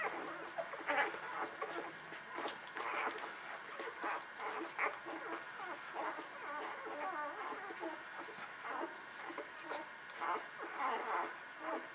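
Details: Newborn puppies nursing, the litter named Beretta Jericho; many soft, high squeaky whimpers and squeals overlap throughout, short rising and falling cries from several pups at once, with faint suckling noises between them.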